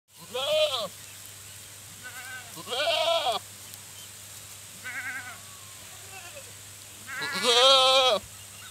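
Goats bleat in wavering, nasal calls, several separate bleats spaced a few seconds apart.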